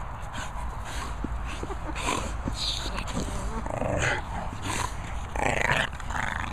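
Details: Two young Staffordshire Bull Terrier puppies vocalizing, with short rough growls and squeaky yelps that burst out irregularly over a steady noisy background, several sharper yips clustering near the end.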